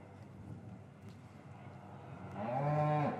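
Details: Cows lowing in a traditional English cattle yard on a winter afternoon, calves separated from their mothers, captured with paired Rode M5s; after quiet low rumble, one loud drawn-out moo of under a second rises and then falls away.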